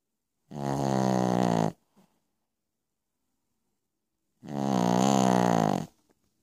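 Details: Pekingese named Piccolina sleeping at night, giving two harsh, droning snores just over a second long with a rising edge, with a quiet pause of about three seconds between breaths.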